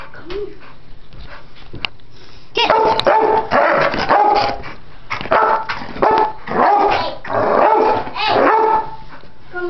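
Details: Two pit bulls, an old 10-year-old male and a 10-week-old puppy, playing rather than fighting: a quiet start with a few light sounds, then loud rough growly barks and yips in bursts through the second half.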